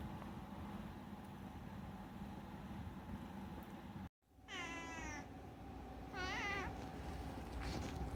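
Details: Two chatty meows from Unagi-kun, a talkative rescued house cat: a longer wavering meow, then a shorter bent one a second later. A brief dropout comes before them, with a low indoor hum throughout.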